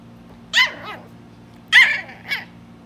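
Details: West Highland White Terrier puppy, three months old, giving a few high, sharp yaps: a double bark, a pause of about a second, then another double bark, over a faint steady low hum.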